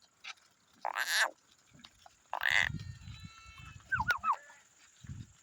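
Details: A lamb heading home gives two wavering, nasal bleats, each about half a second long.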